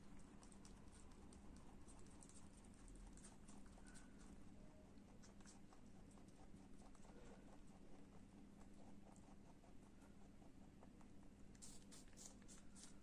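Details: Kopol, a pet lop rabbit, eating an apple: quiet, steady crunching and nibbling clicks in rapid irregular bursts, with a low constant hum underneath and a brief brighter clatter near the end.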